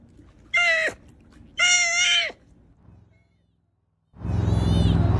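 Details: Young sea otter joey uttering two piercing, harmonic squeals, the second longer and level in pitch, followed after a pause by a loud rushing, noisy burst.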